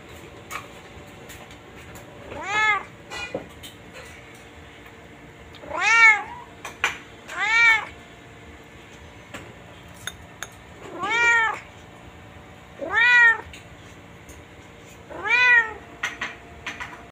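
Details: White pet cat, described as so playful it is kept chained, gives a series of about six clear, drawn-out meows, each rising then falling in pitch, spaced a few seconds apart, with faint clicks and rustling between calls.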